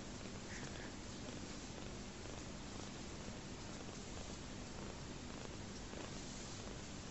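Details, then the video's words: Rescued orphan kitten, his mother dead soon after his birth, purring while feeding contentedly from a bottle; a steady low rumbling purr runs throughout under a faint broadband hiss. "Kitten Loving his Bottle"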